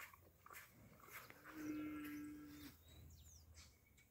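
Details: A single drawn-out moo from a heifer, held level and even for just over a second, set against quiet rural background noise with scattered clicks and faint higher sounds.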